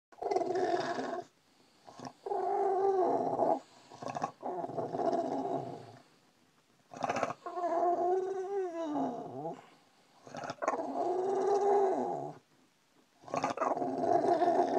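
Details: Brutus the Bulldog waking his owner: long, drawn-out grumbling moans and growly whines in bursts of one to three seconds with short silences, some rising then sliding down in pitch, like complaining talk.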